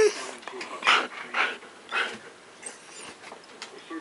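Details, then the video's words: A Pomeranian snaps at a Siberian Husky in a conflict between alpha male and beta male, recorded 29 October 2015 at 4:09 AM. Three harsh, snarling bursts come about half a second apart, followed by softer scuffling noises. "Pomeranian Snapping At Siberian Husky"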